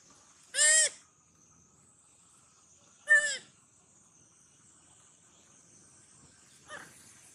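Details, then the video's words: Sweetpea, a young monkey, sounding sad and hungry while looking for its mother: two loud harmonic cries, each under half a second, about two and a half seconds apart, then a fainter third cry near the end over a quiet background. "Original sound monkey Sweetpea! Poor SP make sound so sad looking for mom-SP hungry eat watermelon"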